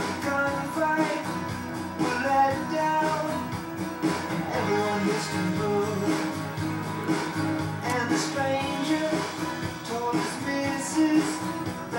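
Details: Rock music with guitar and singing plays throughout, with no animal sounds heard.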